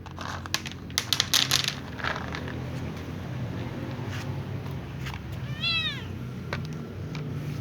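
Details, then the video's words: Little ginger cat meowing while avoiding food near a catnip plant; one short, slightly falling meow near the end, preceded by sharp clicks and taps and a low background hum. "Little ginger cat meows"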